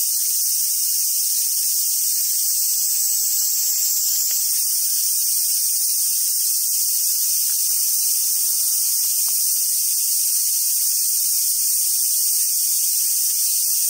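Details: Summer cicada chorus on Awaji Island, Sumoto, Hyogo, Japan, where wild Japanese macaques gather: an unbroken, even, shrill buzzing wash, very high-pitched, with faint scattered clicks beneath.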